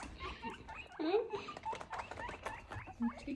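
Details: Three hungry guinea pigs wheek with shrill, rising squeaks at breakfast time, begging loudly for their food.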